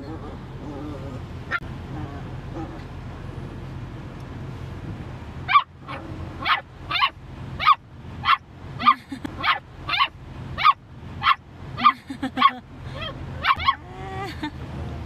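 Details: Mountain Cur hunting dog riding in a car while the owner drives, whimpering in a run of about fifteen short, high, regular cries roughly every half second after a quiet start, over low engine hum, with music and the owner's voice.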